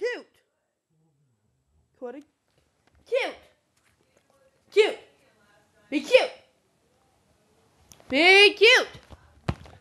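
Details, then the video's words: Koda, a 21-month-old female Rhodesian Ridgeback weighing 95 lbs, indoors in a bedroom, coaxed to be cute; short arched whining yelps come every second or two, building to a longer warbling howl-whine near the end. "My dog Koda ( a 21 month old Rhodesian Ridgeback)"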